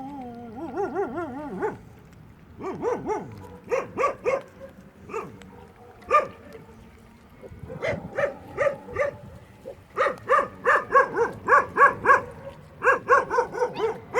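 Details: Puppies eating at a building site give a rising, wavering whine, then bursts of short, bright yips in quick irregular runs, some spaced about half a second apart, over low background rumble.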